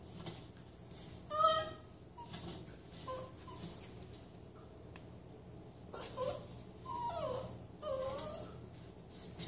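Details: Toy Manchester Terrier having its back scratched indoors, giving soft high whimpers and short whines in scattered bursts, some rising and falling, with a woman talking gently to the dog.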